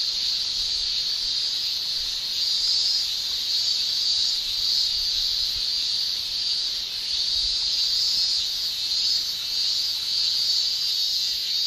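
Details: Shrilling chorus of cicadas in a Japanese summer: an intense, high, sizzling drone. Rhythmic pulses of extra loudness come roughly every half second to second through the middle and later part.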